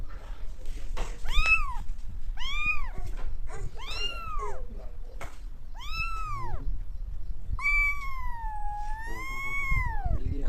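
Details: Cat in India meowing: five clear, high meows, the first four short and arching up then down, the last one long and wavering, over a low background rumble.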